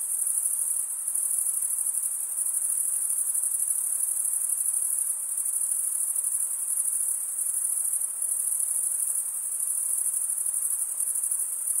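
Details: Many crickets chirp together in a summer forest at night, blending into a constant high, thin, ringing trill that barely wavers in loudness over the whole span. No other sounds are heard.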